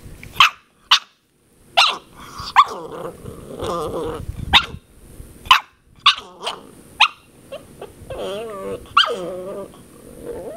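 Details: Ten-week-old puppy Princess Zelda yapping at a water bottle in a small room, a string of shrill, clipped barks at irregular intervals, some trailing into squeaky whines and soft growls.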